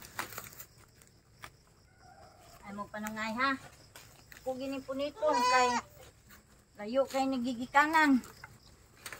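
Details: Goats at a goat pen late at night, giving a series of wavering, tremulous bleats in bursts of a second or so, separated by short pauses, with faint background noise between calls.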